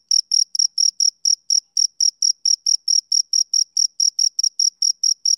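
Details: Summer-evening chirping by a male cricket: loud, sharp, high-pitched pulses, some doubled, repeating at a brisk even pace of roughly four per second over clean silence.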